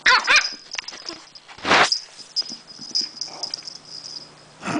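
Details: Buffy, a lively Chihuahua puppy still full of energy at 12:30 at night, is indoors by the chair she likes to sit under. She lets out short, high, scattered barks with a brief growl, over a constant thin high tone.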